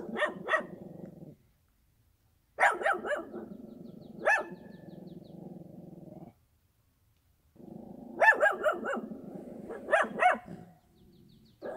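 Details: Countryside dog barking in short clusters of two or three sharp barks, separated by quiet gaps of about a second or two.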